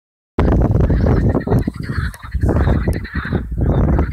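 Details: Hundreds of marsh frogs on the Allhallows marshes, North Kent, on a warm May evening in 2015 give rapid, cackling croaks that rattle on like harsh laughter over a low rumble.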